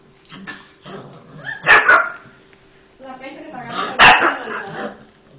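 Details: Two-month-old female French Bulldog puppy gives two sharp, loud barks about two seconds apart, with Italian speech in the background.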